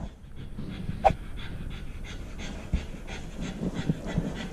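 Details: Female Siberian Husky puppy left home alone for about 30 minutes, recorded by a GoPro strapped to her body: quick, breathy panting in steady bursts, with close rubbing and a sharp knock near the second second.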